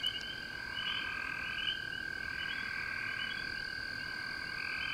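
A dense frog chorus of steady high trilling and ringing notes, layered continuously with no pauses.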